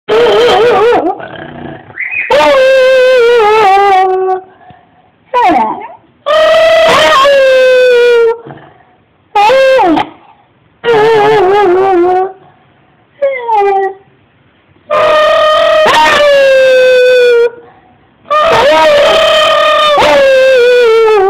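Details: A beagle, prompted by its owner to howl, gives long, wavering, falling notes, each a few seconds long with short breaks.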